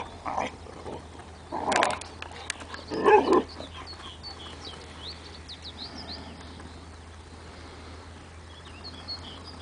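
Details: Vizslas barking: three short, harsh, broadband barks in the first four seconds, then a quieter stretch with high, thin chirps of small birds in the background.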